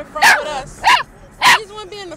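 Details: A Chihuahua mix puppy 'dancing' in a car gives three sharp, high yipping barks about half a second apart, barking along to a song playing.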